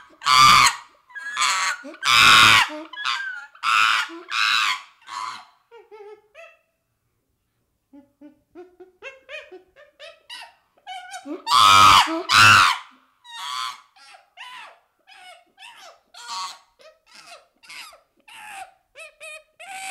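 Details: Baby chimpanzee screaming in harsh, broad bursts. The bursts alternate with rapid, broken whimpers and pant-like notes, pausing briefly before a second loud round of shrieks followed by stuttering calls.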